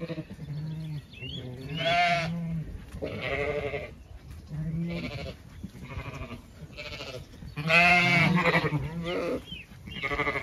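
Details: Zwartbles sheep on a regenerative Irish farm in County Kilkenny, moving through an orchard in bloom in the evening; repeated loud, quavering bleats from several animals come every second or two, some low and steady, others higher and tremulous.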